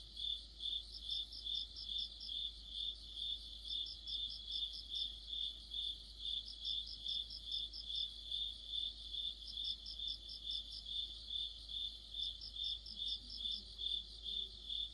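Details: In mid-autumn, a cricket chorus of high, regular chirps about two per second, overlaid by bursts of rapid, higher pulses that recur roughly every three seconds, and a faint low murmur near the end.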